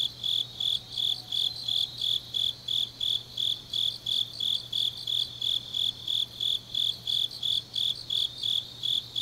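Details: Grass insects singing on a deep autumn night in Changnyeong, South Gyeongsang, Korea: a steady high-pitched chirping, about three pulses a second, over a faint constant low hum.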